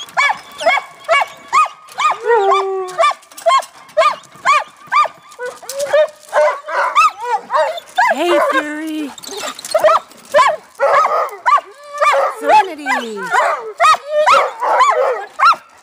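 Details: Alaskan Malamutes vocalizing in a busy chorus of short, harmonic yowls and woos, about two per second, with overlapping voices, some calls sliding up or down in pitch, and a few drawn-out notes mid-clip.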